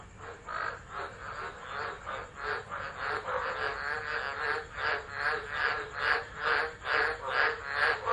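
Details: Tropical frogs calling during a tropical low at Driver, Northern Territory, Australia, on 13 December 2013, recorded on a phone left on the ground. Harsh pulsed croaks repeat about twice a second and grow louder, over a steady background hiss.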